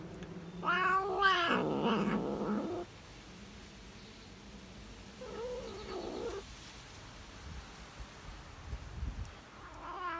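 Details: Tabby cat savouring cheese: a loud quavering, harmonic moan lasting about two seconds, a softer wavering murmur mid-way, and faint chewing or rustling toward the end.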